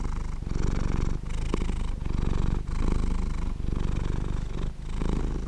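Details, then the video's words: Deep vibrating purr from a cat asleep, pulsing in phrases of about a second separated by brief gaps for breath, with a faint tick near the start and no other noise. "Cat sleeping and Purring"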